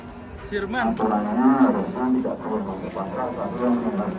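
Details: Fat cattle lowing: one long, drawn-out moo with rich, stacked harmonics swells and fades, then lower, softer mooing continues, with faint background music.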